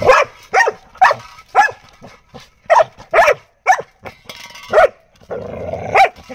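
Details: A Labrador Retriever, during barking training, gives a quick series of sharp, mid-pitched barks, irregularly spaced about twice a second.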